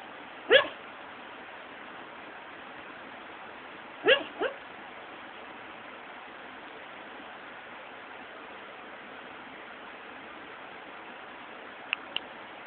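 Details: Sleeping dog vocalising in the afternoon, as if in a bad dream: a lone short yelping whimper, then after a long pause a quick double whimper, then faint clicks near the end in a quiet room.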